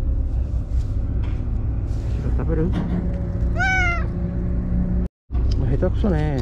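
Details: A white stray cat called Shiro, found near tetrapods after a day's absence, meows loudly: one bright, arching call in the middle, then a shorter one at the end, with a person talking and constant low rumble behind.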